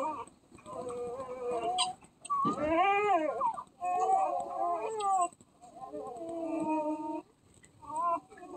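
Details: Newborn puppy nine days old, a Basset Hound, Great Pyrenees, Chihuahua and Dachshund mix, crying in long high wavering whines that rise and fall, some strained and arching, with brief gaps between.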